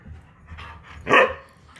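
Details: Siberian Husky (Canis lupus familiaris), talking vocalization: demanding that its owner get out of bed.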